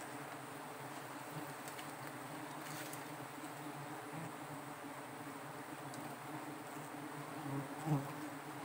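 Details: Giant honey bees at a small wild forest nest during a honey harvest: a steady, low droning hum with a deep humming core, unbroken for the whole stretch, with a faint click near the end.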